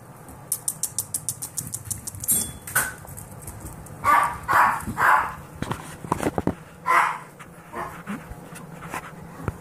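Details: Several 10-week-old Golden Retriever mix foster puppies (Canis familiaris) give a few short, breathy yips amid a patter of quick footfalls as they run together.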